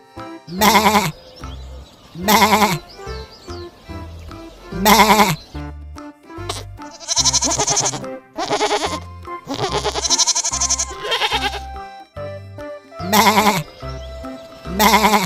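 Loud, wavering goat bleats burst out repeatedly over steady background music.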